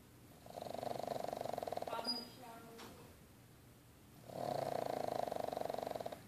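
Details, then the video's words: A pet pug snoring indoors: two long, rattling, buzzy snores separated by a quiet pause, with a brief faint voice-like sound between them. "The Snoring Pug"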